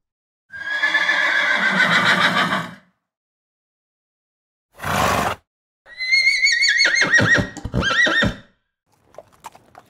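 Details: A horse whinnies twice, high quavering neighs split by a short breathy snort.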